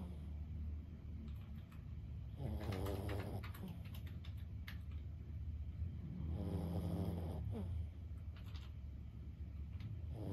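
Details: Lulu, a sleeping 15-year-old senior Boston Terrier, snoring indoors: two long rasping, rattling breaths several seconds apart, low and grainy with a fluttering texture, over a steady low hum and faint clicking.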